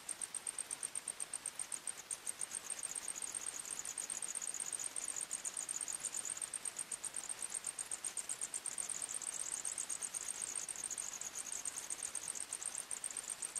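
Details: Night-time forest crickets: a shrill, continuous high chorus of overlapping rapid chirps, several insects pulsing at slightly different pitches, over soft background hiss.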